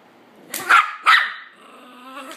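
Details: Hades the dog, upset at witnessing abuse and intervening, lets out two loud, sharp barks about half a second apart, followed by a drawn-out, softer whine that trails off.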